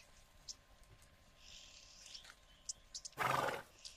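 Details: Wild Grévy's zebra in a herd at a watering hole in Kenya, sniffing and spooking: one harsh, breathy snort bursts out for about half a second near the end, after scattered faint bird chirps and a steady low hum.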